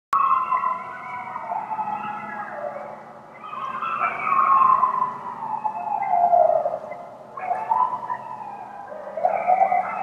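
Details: At dusk in Pennsylvania, several coyotes howl together in wavering, sliding tones that rise and fall and overlap into a chorus.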